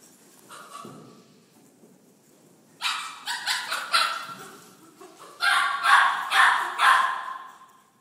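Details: Dog running about and screaming excitedly; sharp repeated barks and yelps in two bursts, about five rapid calls each, separated by a short pause, with a faint whine near the start.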